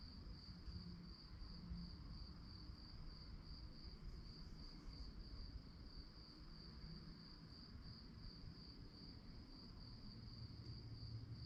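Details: Night-time cricket chorus: continuous shrill pulsing at a high pitch, evenly sustained, with a deep background rumble beneath and a few faint low hums.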